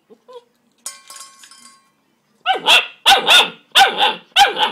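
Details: Ten-week-old Greater Swiss Mountain Dog pup upset by his reflection in the feeding bowl; after faint clatter, four loud sharp barks follow one another at roughly half-second intervals.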